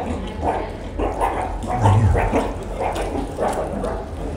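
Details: Hungry meerkats (Suricata suricatta) in a zoo colony make a racket of short, harsh, barking food calls in quick repeated bursts at feeding time, clamouring for food.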